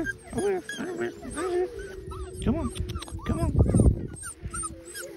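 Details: Three wolfdog puppies learn to howl with adult wolfdogs, giving short wavering yips and rising whines over a steady low adult howl.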